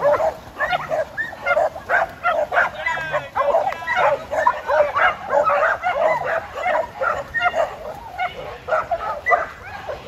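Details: On a farm, tri colour Border Collie Jed, almost 7, demands his game start on time; continuous high excited barking and yips over ten seconds, with people talking in the background.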